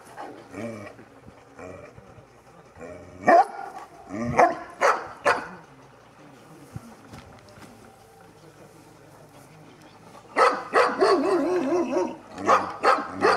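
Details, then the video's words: Two-and-a-half-year-old Sarplaninac Hidegdombi Hűséges Avatár under a courage test, giving bursts of deep, rough barks in irregular clusters, with a quiet stretch mid-way, then a fast barrage near the end; faint talking runs beneath. "Sarplaninac - Hidegdombi Hűséges Avatár - bátorságpróba 2,5 évesen"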